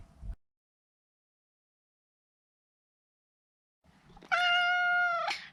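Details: Neutered male Maine Coon kept as a pet, one long, loud, even meow lasting about a second with a clear stack of harmonics, after a long silent gap.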